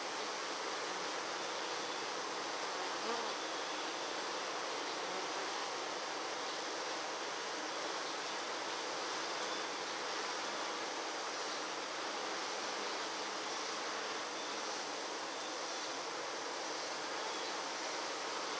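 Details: Many Western honey bees fan their wings together at the hive on a 96-degree day to cool it, making a steady, dense hum that barely changes.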